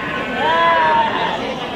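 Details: Sheep at the Wage market in Bumiayu, crowded with sheep: one drawn-out harmonic bleat that rises, holds, then sags over about 0.7 seconds, set against steady market chatter and crowd murmur.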